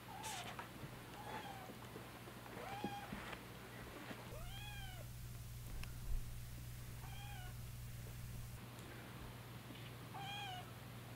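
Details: Siamese kittens being bottle fed, calling for milk: a series of short, high, arched meows, some rising then falling, repeated every one to two seconds, over a low steady hum.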